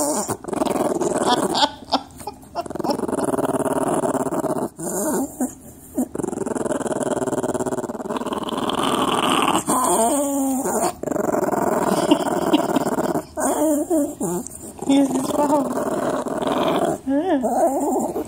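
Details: Pet dog grumbling and growling at length, the throaty rumble twisting into wavering, howl-like moans and whiny yips, with several short gaps between outbursts.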